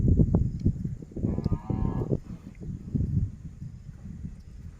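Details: Hallikar cattle from a herd of more than 70 cows and 22 young calves in Kanakapura Taluk; one drawn-out, low, nasal moo lasting about a second rises over steady rumbling and shuffling of the herd.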